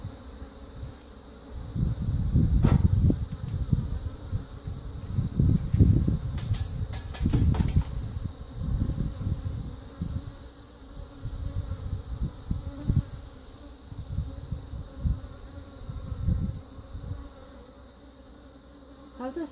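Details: Honey bees at an open hive that had become very defensive, from a caught swarm with some Africanized genes, as frames are worked to install a new Italian queen; low droning buzz swelling in bursts, with handling clatter and some music.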